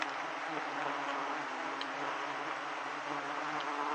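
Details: Giant honey bees swarming around a wild hive as it is harvested for honey; a dense, steady insect hum without pause fills the whole stretch, with faint rustling underneath.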